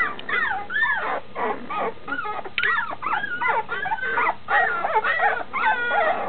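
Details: Standard Schnauzer puppies nearly two weeks old, almost walking with eyes opening, crying for their mother just outside the whelping box; a dense chorus of high, wavering whines and squeals overlapping continuously.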